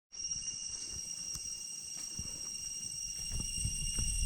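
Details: Cicadas in deep jungle on the way back from Chhay Yong Waterfall, Areng Area, Koh Kong Province, Cambodia: a steady, unbroken high-pitched drone with several fixed shrill tones, over soft footsteps on the trail.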